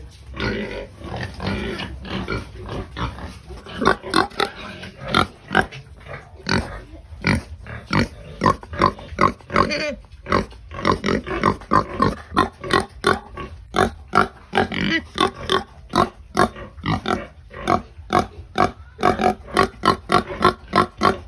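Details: Pigs at feeding time, a rapid stream of short sharp grunts and snorts repeating irregularly several times a second, loud and busy throughout.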